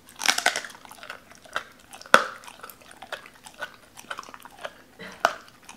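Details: Doberman named Cola eating raw chicken indoors, biting through bone; sharp crunching bites with a strong crack near two seconds, followed by steady wet chewing and smaller crunches.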